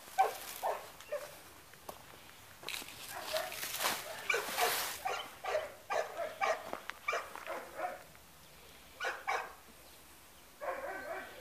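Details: Labrador Retriever barking in irregular bursts of short barks with pauses, mixed with louder broadband noise bursts and faint background sounds.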